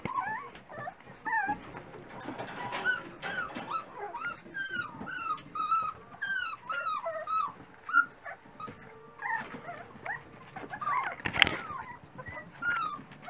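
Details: Dachshund puppies at breakfast time, several voices overlapping in high whimpers and short yips, rising and falling squeals repeated throughout with clattering in between.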